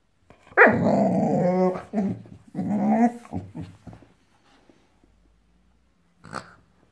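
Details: Five-month-old Boxador puppy, a female Boxer mix, growls at a new Pinky Pig toy she hates. Two long, gravelly growls come in a row, then the room falls quiet before one brief final grunt.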